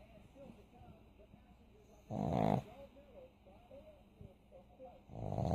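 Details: Sleeping pug snoring, with two loud rough rasping breaths a few seconds apart over softer, gurgling breathing between them.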